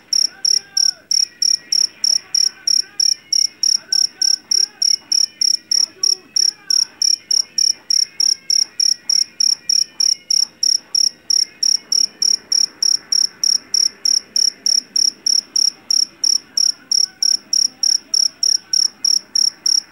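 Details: A long, unbroken series of piercing high chirps from a jangkrik jeliteng, the Javanese field cricket famed for its loud voice, caught in a rice field, about three per second, with faint murmuring sounds beneath.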